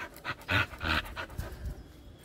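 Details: Domestic dog breathing hard in a few loud, breathy pants, uneven in spacing and fading toward the end, with faint household background.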